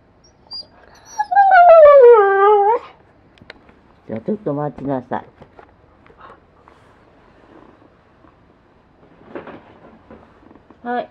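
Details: Blue-eyed Siberian Husky talking eagerly, trying to make its demands understood: a long, howl-like whine sliding downward, then a quick run of wavering, yodelling yowls, followed by soft grumbles and a short whine at the end.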